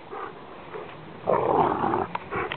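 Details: Brother and sister Rottweilers play fighting over a rope, giving a short guttural growl under a second long, with a person's encouraging voice before and after.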